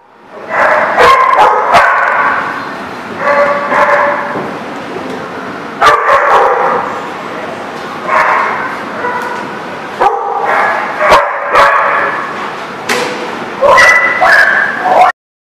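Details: Dogs barking on 15 February 2019 in loud, dense bursts of rough, harmonic yelps and barks lasting one to two seconds, separated by brief pauses, with sharp clicks and knocks scattered throughout.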